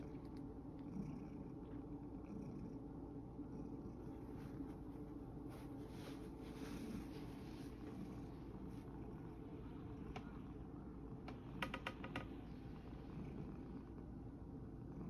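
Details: Sacchan, a male rescue cat, tired out after playing in a field, purring: a soft, steady low rumble that throbs on without a break through the whole stretch, with a few faint clicks and rustles near the end.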